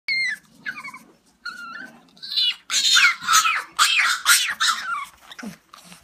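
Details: English Bulldog puppy whimpering in a series of short high whines, the first few thin and spaced, then a louder run of strained, wavering squeals packed close together, most of them rising and falling.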